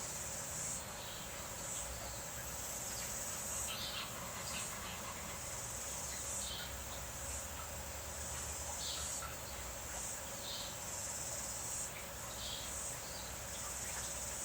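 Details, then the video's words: Cicadas calling during rain: a steady, very high shrill drone that swells and fades in pulses about once a second, over a constant hiss of rain. "Notice the cicadas, you can hear them now."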